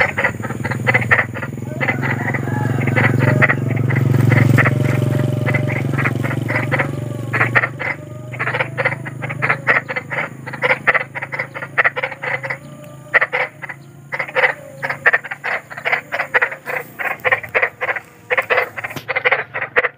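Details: Large frog calling in the wild: a dense, rapid run of short rasping croak pulses, several each second and unevenly spaced, continuing throughout, with a low droning rumble underneath during the first seven seconds.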